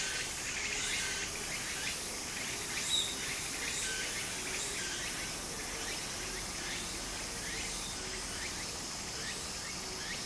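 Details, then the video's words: Beside a flowing stream in Japan in summer, cicadas keep up a high buzzing trill with faint, irregular rising phrases roughly once a second, set against the constant wash of water. "小川の流れと蝉の声 自然音 ～夏～ Japan Sound of nature Cicada's voice"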